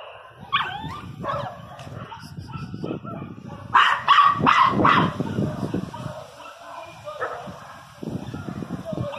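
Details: Miniature Pinscher crying very loudly, with high, wavering whimpers early on and a burst of loud, harsh yelps near the middle, over background murmur and voices.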